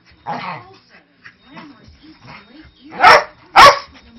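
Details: Manchester Terrier mix, five years old, playing rough with a three-month-old husky-lab puppy. Soft grumbles and low growly noises lead into two loud, sharp barks near the end, half a second apart.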